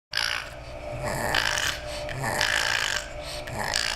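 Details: A pug makes raspy, snuffling snorts in repeated bursts, eager to play with the kittens.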